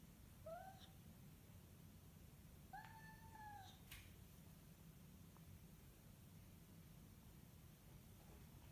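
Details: Pet cat indoors during zoomies, uttering two clear tonal meows about two seconds apart, the second longer and slightly falling, followed by a single sharp click against a steady low room hum.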